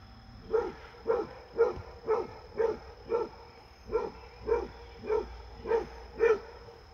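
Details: Fred the Basset Hound barks at his deer friend during a visit: eleven loud, tonal baying barks in a steady run, roughly one every half second, over quiet background.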